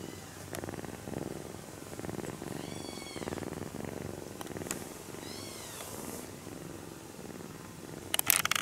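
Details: Kitten purring while stroked during its nap, a clear rhythmic rumble in quick regular pulses, with a few faint high chirping sounds in the background and a sharp rustle or clatter at the end.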